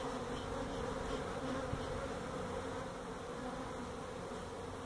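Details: Honey bees from a feral hive inside a tractor tire at a citrus orchard in Mission, Texas, during removal of the colony: an even, continuous low drone of many bees with no other clear sounds.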